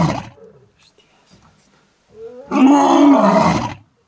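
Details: In the Masai Mara, Kenya, a lion gives a single deep, rasping roar that rises and then falls over about a second.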